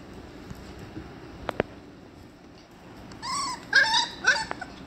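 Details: Female chocolate Labrador Retriever giving a short burst of high, whining yelps, three or four quick rising-and-falling whimpers over about a second and a half, preceded by a few faint clicks and taps in a quiet room.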